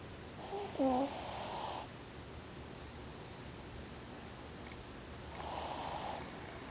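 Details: Ozzy, a pet Shih Tzu, snores while sleeping with his eyes open: two rough, breathy snorts about four seconds apart, the first lasting over a second, with quiet breathing between and a brief gliding voice near the start.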